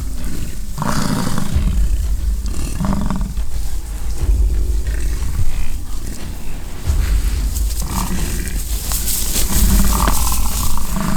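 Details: Bison in rutting season, fighting on a ranch near Fort St. John, British Columbia, Canada; deep rumbling bellows come in bursts every few seconds amid strong wind noise and some crackling.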